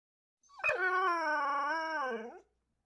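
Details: Domestic dog giving a single sustained howl of about two seconds, starting with a sharp onset, holding a steady wavering tone, then sliding down at the close; no other sounds.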